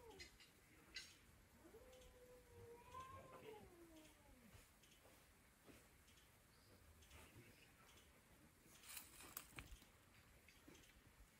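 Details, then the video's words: A domestic cat talking: one long, drawn-out meow lasting about three seconds that rises, wavers, then slides down, followed by quiet room tone with a few soft clicks and taps near the end. "Cat talk"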